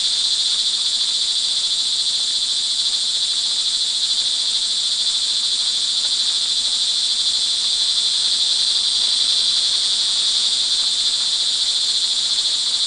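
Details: Crickets trill in a steady, high-pitched chorus without pause, with rain hissing behind, recorded in the early evening of 24 June 2011 in Montalban, Rizal, Philippines.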